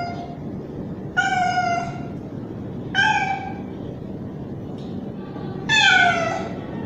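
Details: Loud calling by a young male street cat toward a female in heat: three strong wailing meows, the last one longest and most insistent, plus a faint shorter one, over a constant low hum.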